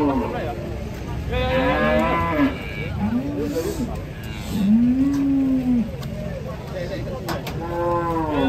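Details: Several cattle coming down from a truck moo repeatedly: short, low, arching calls every second or two, some overlapping, with background bustle and faint clatter.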